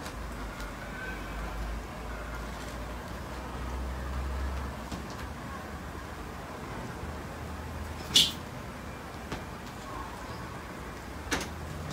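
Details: Low steady hum with a sharp click near the middle and a few fainter knocks, no animal voice.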